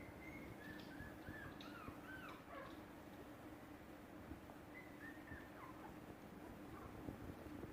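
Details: Soft, high-pitched whines from Shiba Inu puppies, each a brief gliding note, some curling up then down. They come in two loose runs separated by a pause, set against a quiet steady hiss and hum.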